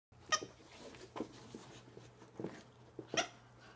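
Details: An Alaskan Klee Kai playing and winning a game of tug-of-war gives short, breathy grunts and a sharp yip in quick, uneven bursts.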